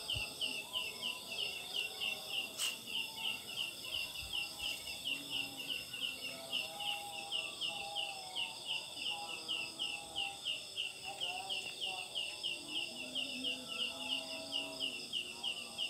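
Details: Leaf katydid calling at night in Sundanese country, where it is locally called ciang ciang and linked to a myth. It gives short, bright chirps about three times a second over a steady high insect hum, with faint lower chirping behind.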